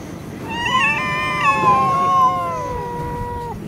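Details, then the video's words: Stray cats fighting on a city street in Russia: a long, wavering yowl holds steady for about three seconds, then slides downward as it fades, with a faint second voice and low background rumble. "fight cats, драка котов"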